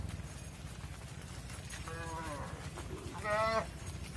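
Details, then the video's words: Mother cows moving into a barn on a farm while their calves stay outside; two drawn-out harmonic moos, a softer one followed about a second later by a louder, wavering one, over a steady low hum. "Mother Cows Entering the Barn While Their Calves Stay Outside | Farm Sounds"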